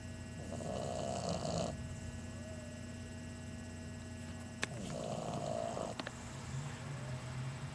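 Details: An 11-week-old English Bulldog puppy snores in long, rasping breaths with a low rumbling undertone.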